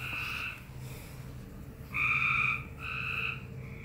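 A frog gives three drawn-out, nasal, honking notes, each about half a second long.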